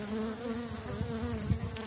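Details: Buzzing of Elgon honeybees crowding an opened hive after winter, colony strong on seven widened Warszawski frames with a kilogram of feed cake added; continuous two-toned drone, low and mid hum, with occasional knocks of handling.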